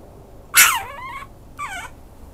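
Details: Maltese-Chihuahua mix dog letting out a sharp loud yelp that bends into a falling whine, then a second shorter descending whimper a second later; nothing else heard.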